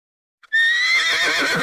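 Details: Horse neighing: a loud, bright whinny starting abruptly after a short click, holding a high strained tone that slowly wavers and falls, rough and harsh toward the end.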